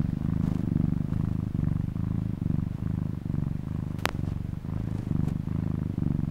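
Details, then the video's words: Low, throaty purring from a cat, breathing cycles roughly every second, interrupted once by a sharp click. "How cat is purr/murmur/snore"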